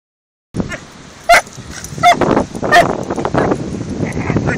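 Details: Doberman puppy of 14 weeks and Border Terrier of about seven or eight years playing together on a beach: three sharp, high yips spaced under a second apart over steady rushing wind and surf noise.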